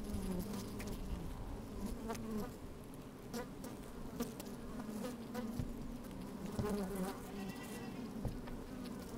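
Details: Microphone slid into an open honey bee hive on a sunny day: the colony's steady, buzzy hum, with overlapping wavering tones, occasional louder buzzes and soft crackles as bees move about.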